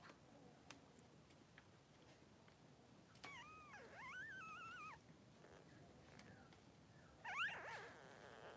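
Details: Newborn Blenheim Cavalier King Charles Spaniel puppies, three days old, in a pen with their mother Pom-Pom, give a thin wavering squeal that rises and falls for about two seconds, then a brief high yelp, over a soft background hiss.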